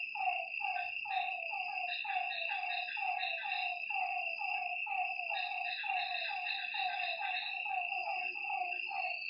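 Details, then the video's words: Frogs calling at night beside a lake: a steady run of short, falling, slightly nasal notes, roughly two to three per second, with overlapping callers, over a constant high-pitched insect drone. "Lakeside night creatures and frog sounds"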